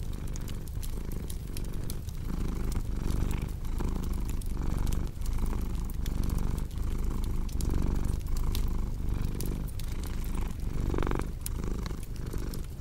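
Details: Cat purring steadily next to a crackling fireplace, meant for calm and sleep: a soft, deep continuous rumble breathing in regular swells, sprinkled with clicking, popping crackles of fire.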